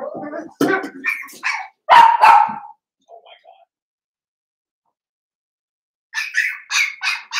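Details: Cavalier King Charles Spaniel puppies, blenheim, aged seven weeks, indoors in their pen: a cluster of sharp barks and whines, a short silence, then a quick string of high-pitched yaps at the end.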